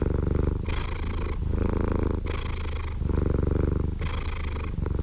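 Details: Continuous cat purr with a thick vibrating low hum, alternating evenly between rumbling and wheezy breathing phases around once a second.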